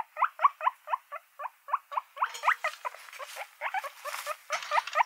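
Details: Guinea pig noises: a run of short, evenly spaced squeaks, about four per second, each a quick upward chirp, then a denser overlapping stretch with rustling bursts.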